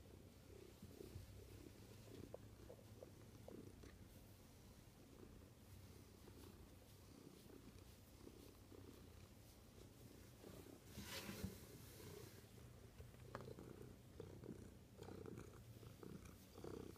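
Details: A cat purrs in a low, even drone for a long stretch, the rumble holding steady, broken once by a brief rustling noise partway through.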